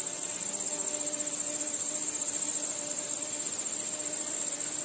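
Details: Crickets at night calling together in an unbroken high, silvery pulsing drone, rapid and even throughout, with a few faint low tones running steadily in the background.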